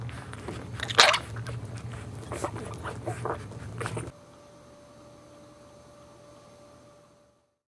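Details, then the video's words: Newborn Boxer puppies crying while breastfeeding from their mother, indoors; a run of short, sharp squeaks and snuffling bursts for about four seconds, the loudest near the first second, then near silence with a faint steady hum. "Newborn Boxer Puppies Crying And Breastfeeding From Their Mom"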